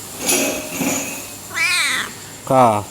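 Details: Si Meong, a coffee-shop cat in Aceh, Indonesia, called a talking cat, keeps company through the night until dawn. Two meows: a wavering, bending cry, then a shorter, steadier, lower one, over faint background noise.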